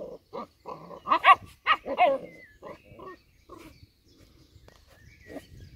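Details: Old English Sheepdog puppies at play, giving a burst of short, high, harmonic yips and squeals packed close together in the first two seconds, followed by softer scattered whimpers and low grumbles as the play quiets.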